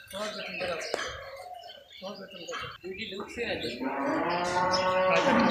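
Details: Cattle on a commercial farm: people talk over the stall noise, then a loud drawn-out moo builds near the end with rich, layered tones, rising slightly and holding steady until the clip ends.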